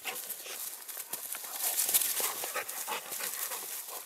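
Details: Two dogs, the Cane Corso female Siva and the Dogo Canario mix Manfred, playing roughly together; fast airy pants repeat about three times a second over dense scraping and tapping noises.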